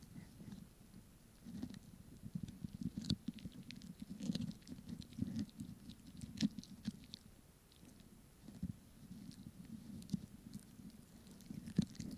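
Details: Pomeranian eating a snack, recorded up close in ASMR style indoors: soft, steady crunching and mouth clicks in quick irregular bursts, low and muffled, with sharper bites now and then over a quiet room.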